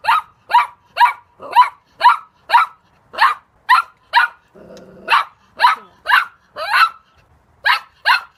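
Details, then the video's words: Steady run of quick, sharp dog barks, roughly two each second, broken midway by a short low growl before the barking resumes at the same pace. "강아지 짖는 소리"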